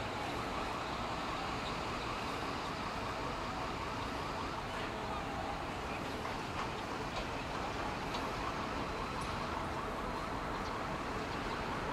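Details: A wailing emergency siren over traffic noise and voices, with no animal sound.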